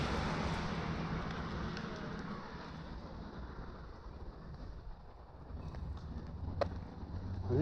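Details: Outdoor rumble of wind and passing traffic with faint voices and a sharp knock near the end, with no animal sounds.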